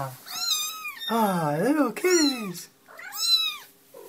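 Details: Domestic cat giving several drawn-out, arching meows, the first two sliding down then up in pitch, a shorter rising-falling one near the end, indoors with some background voice.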